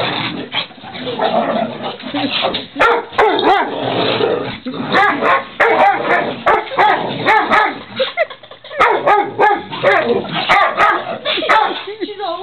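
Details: Pet dogs playing together indoors in a living room, a dense, continuous stream of rough growls, whimpers and short sharp barks overlapping with few pauses, with sharp clicks and knocks throughout.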